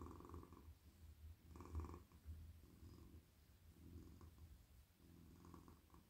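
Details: Soft, friendly male domestic cat lying in a lap and purring while its head and neck are stroked; deep throaty rumble rising and falling with each breath, several swells over six seconds, a louder burst near the second mark.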